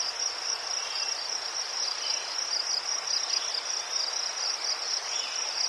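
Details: Crickets in Ukraine, near chrysanthemums, producing an even, high-pitched, rapidly pulsed trill that never pauses, with faint lower chirping in the background.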